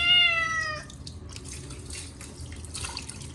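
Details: Short-legged Munchkin cat Chacha wails during his yearly bath, his first in a year, on a hot day with silvervine cat shampoo: one loud, slightly falling harmonic meow, then running water and splashing.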